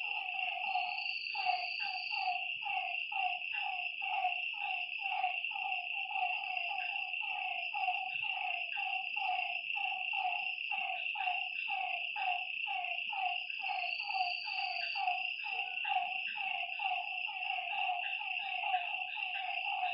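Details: Frogs calling at night beside a lake: short, falling croaky notes repeated about twice a second and overlapping in a dense chorus, over a steady high-pitched insect drone, with a few brief higher whistles.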